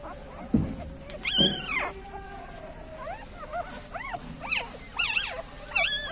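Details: Newborn puppies with their mother, a female street dog, nine pups in all; short high squeaky whimpers arching up and down in pitch, coming in quick irregular bursts, with one low thump near the start.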